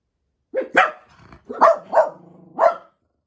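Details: Jack Russell Terriers, four kept together in a home in Japan, waiting for their owner to come home; loud, clear barks in a short burst of four or five, some with a whining tail, in a quiet room.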